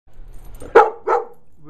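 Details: Brutus, a pet dog, reacting after finding a bee: two sharp, loud barks about a third of a second apart, followed by quieter room noise.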